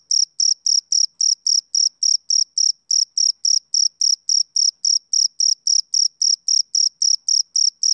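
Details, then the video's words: A male cricket calls on a summer evening with sharp, high chirps in a regular beat of about four each second, briefly skipping one beat near the three-second mark. "Cricket Chirping Sound Effect"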